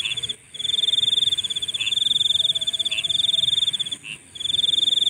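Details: Night insect sound: a continuous shrill pulsed trill, cut by a few brief silent gaps, with faint separate chirps spaced roughly a second apart.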